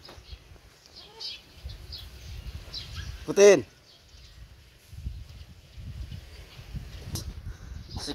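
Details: Pet hybrid Boer goat, raised alongside a child and left untied, lets out a single short, loud tremulous bleat amid nearby people talking in Filipino and shuffling noises.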